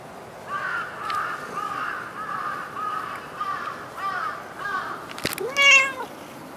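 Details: Cat in Dockyard Garden, early morning of 28 August 2016, voicing a run of soft, short mewing calls before a sharp click and one louder, arching meow near the end.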